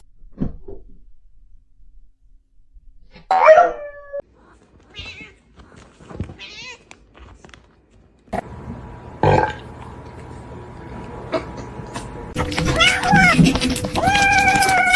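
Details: Domestic cats in a funny-cats compilation: scattered short meows and chirps among clicks and rustling, then a busy stretch of repeated wavering meows layered over background noise and a steady hum.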